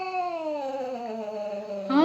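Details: Cats fighting: a loud, tonal wail slides slowly downward over two seconds before a sudden, sharp, higher cry at the end.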